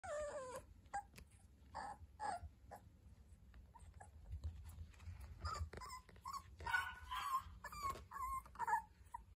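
A rabbit dachshund puppy gives soft, high whines and yelps in short bursts.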